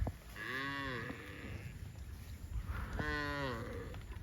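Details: Cows heading to a rural field give two long, low moos with rich harmonics, the second starting about three seconds after the first.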